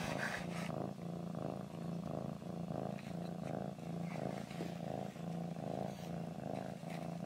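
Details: A domestic cat purring with a deep buzzing rumble that pulses with its breathing, a little over once per second, alongside faint rustling.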